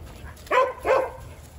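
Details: Jindo dogs on a winter Saturday morning in December, the day of a World Cup round-of-16 advance: two loud, clipped barks in quick succession, about a third of a second apart, over faint background hum.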